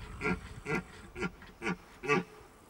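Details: Red deer in the September rut, Hohe Tauern National Park, Austria: five short, hoarse grunting huffs, about one every half second, over a low background hum.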